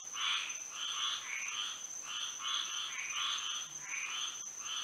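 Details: Frogs chorusing at night under moonlight in Florida: overlapping pulsed croaks in two bands, one low and one high, rising and falling in waves, with a steady high insect-like whine underneath throughout.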